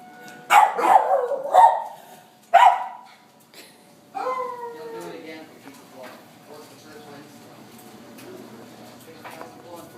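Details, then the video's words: Pet dog barking after being frightened by tornado sirens: several sharp, loud barks in the first three seconds, then quieter wavering tones and human voices in the background. "barking at the tornado sirens"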